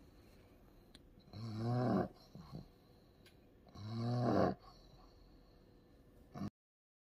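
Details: Ku-chan, an ill pug suffering a strong seizure and treated with an anti-epileptic drug through the nose, makes two long, rasping, snore-like groans two to three seconds apart, with a brief snort after the first and quiet rustles between.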